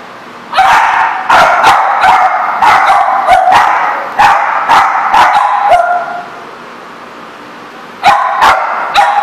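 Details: Dogs in the Barking Lot on 2/10/14: loud, harsh rapid barks in bursts, roughly a dozen in five seconds, a pause, then sharp barks resume.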